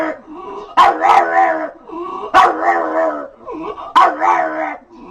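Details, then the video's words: Pet dog making a funny noise: three loud harsh bursts about 1.6 seconds apart, each sliding into a wavering, whiny harmonic moan, with softer groaning between them. "Hilarious Dogs Making Funny Noises"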